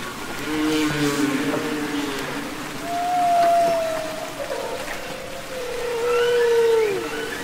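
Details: Humpback whale song recorded underwater, Capitol Records ST-620: long, smooth tonal moans with stacked harmonics, a mid-pitched drawn-out note held steady then bending down at its end, over a hissing sea background.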